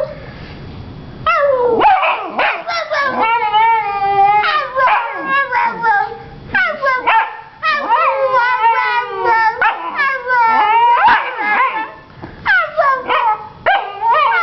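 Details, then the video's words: Honey, a female Vizsla puppy who has just learned to use her voice, answering back with wavering, sliding howl-like yowls in rapid uneven bursts, pitch bending up and down, with a human voice mixed in. "Vizsla Pup, Honey, Talks Back"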